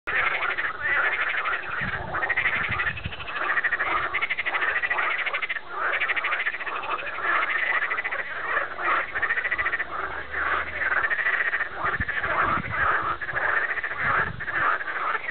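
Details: Frog chorus of many overlapping croaking calls, dense and continuous, rattling pulses stacked through the mid range with no pauses across the whole stretch.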